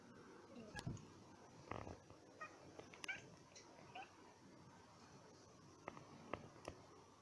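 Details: Pet cats indoors, excited and provoked by a cute bird seen from their window, give a few quiet, short, high chirps clustered around the middle, with soft clicks and faint room noise between them.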